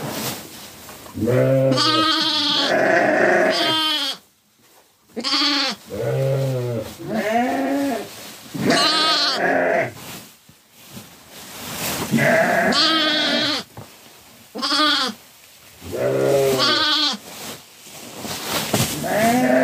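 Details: Sheep on a farm where lambs are tended: repeated quavering, nasal bleats from the flock, coming in bursts every second or two with short silent gaps and overlapping voices.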